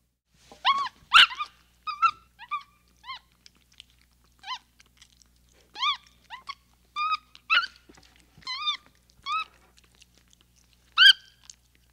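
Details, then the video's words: Capuchin monkey giving scattered chirps and upward-flicking whistled squeaks with quiet gaps between them, plus one loud harsh squeal near the start and another near the end. "Capuchin Sound"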